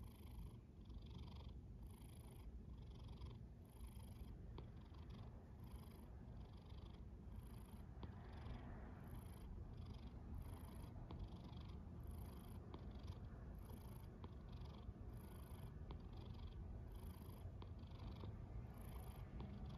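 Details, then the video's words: Cat snoring through a long stretch: evenly spaced breathy snores recur about every second and a half, riding on a deep continuous rumble with no other sounds. "A snoring cat"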